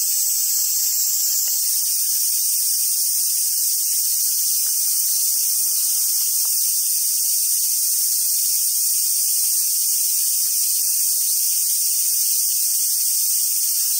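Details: Cicadas singing in summer at Awaji Island Monkey Center, Sumoto, Hyogo Prefecture, Japan: a steady, piercing high buzz runs throughout, its tone shifting slightly early on, then holding constant, with faint low rustles beneath.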